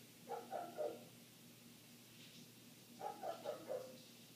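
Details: Through closed windows, a neighbour's dog keeps up an eight-minute barking bout; two clusters of three to four dull, muffled barks about three seconds apart, with faint household sounds between.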